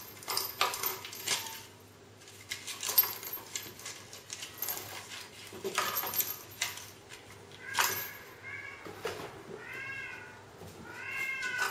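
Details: Kittens playing with a toy indoors: sharp clattering and tapping bursts from the toy dominate the first two thirds, then four short, high, arched meows follow in quick succession near the end over a faint background hum.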